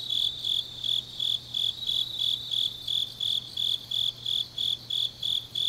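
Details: Grass insects chorus through a deep autumn night in Changnyeong, Korea, each pulse a sharp high chirp repeating slightly faster than three per second, steady and insistent, with softer insect buzzing and a low hum behind.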